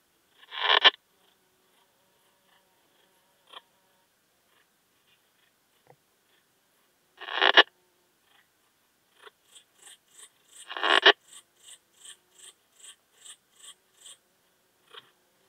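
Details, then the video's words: Slender bright bush-cricket (Poecilimon gracilis), Hajnzgraben, Austria, 19 August 2021: loud swelling rasps every few seconds with faint ticks between, while a high, evenly pulsed chirping runs through the second half. "Poecilimon gracilis -- Zierliche Buntschrecke -- Slender Bright Bush-cricket"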